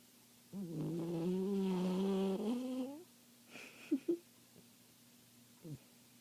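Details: A sleeping Papillon dog snores in one long, drawn-out, groaning breath lasting about two and a half seconds, with a steady low hum. A few short squeaky sounds and quiet pauses follow.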